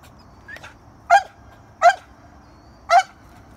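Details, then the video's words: Dog barking at a squirrel: a faint short bark, then three sharp, loud barks roughly a second apart, each brief and harsh with a ringing tone, over a quiet background. "Dog barking at squirrel"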